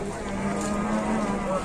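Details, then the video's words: Indonesian cattle just delivered by truck, one animal giving a short, flat, steady low moo that holds one pitch throughout, set against constant background rumble. "TRUK SAPI DATANG"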